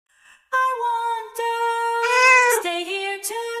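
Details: A cat resting in a washbasin gives a long, drawn-out tonal meow that holds steady, rises in the middle, dips, then steadies again with a short upward flick near the end.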